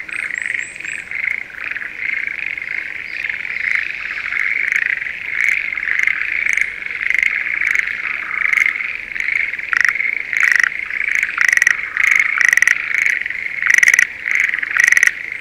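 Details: Schlegel's green tree frog in breeding season in a rice field near Sendai, Japan: a steady high frog chorus at first, then close, crisp clicking croaks in rapid bursts that grow more frequent toward the end.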